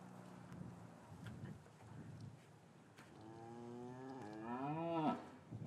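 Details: Cows lowing in an English cattle yard on a winter afternoon after the calves were taken from their mothers; a low hum early, then a rising, wavering moo climbing in pitch and loudness to a peak near five seconds.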